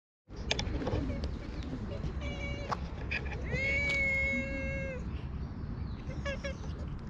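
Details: Talkative stray cat at a Japanese shrine, being stroked and patted, filmed on a GoPro: a short meow followed by a long, drawn-out meow, with rustling, handling noise and low background rumble.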